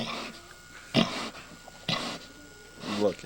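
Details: Domestic pig on a farm, a sow close to giving birth, making funny noises; three short harsh broadband grunts spaced about a second apart over a quiet background hum.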